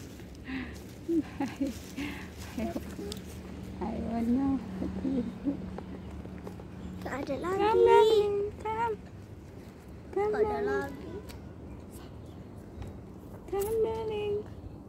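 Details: Meowing cat, from a street cat compilation, gives three bent, wavering meows in the second half, with a person's coaxing speech and soft background chatter earlier on.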